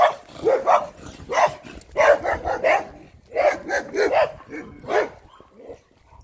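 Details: Barking from German Shepherds as Major meets another Shepherd that is not friendly; loud uneven bursts of two to four quick barks, fast clusters broken by short pauses, fading near the end.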